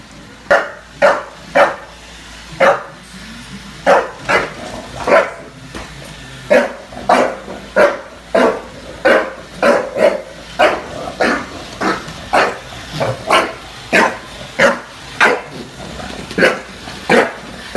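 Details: Bulldog in New York City barking at a Roomba: loud, short broadband barks in a steady stream, roughly 25 across the stretch, with a faint low mechanical hum underneath.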